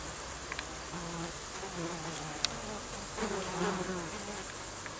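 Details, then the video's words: A mix of insects: low droning wingbeat buzz with wavering pitch, coming and going in several overlapping passes over steady background hiss, with a few faint clicks. "Un petit mélange d'insectes"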